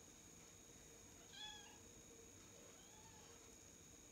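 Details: A Bengal cat, playing on a floor-to-ceiling scratch tree, gives a brief, high, chirpy meow, then a fainter second call.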